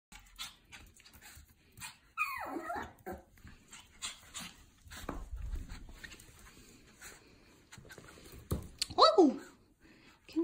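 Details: Pomeranian puppy indoors, excitedly welcoming its owner back home after an outing; high descending whine near two seconds, a second sharp rising-then-falling whimper near nine seconds, amid rustling, shuffling movement and a soft human voice.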